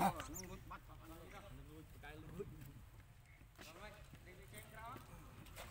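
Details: Lucie, a baby monkey whose mother refused milk, gives bursts of quavering, bending cries with short pauses between them, set against low background noise.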